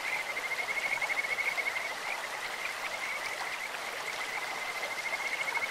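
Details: Kajika frog in a clear-running stream giving a long, steady pulsed trill at high pitch that lasts nearly the whole stretch, louder around the first two seconds, with constant water noise beneath.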